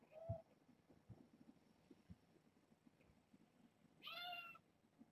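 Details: Kittens from a litter of four girls and two boys, born August 29th to a family pet, visited by Minion with Kougra: a brief high mew at the start, then a loud, half-second harmonic meow after four seconds in a quiet room.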